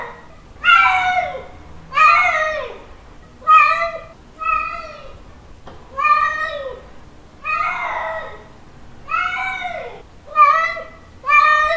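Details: Male domestic cat giving a mating call to a female: loud drawn-out harmonic meows, about eight in twelve seconds, each wavering and bending downward at the end, separated by short quiet gaps in a small indoor room.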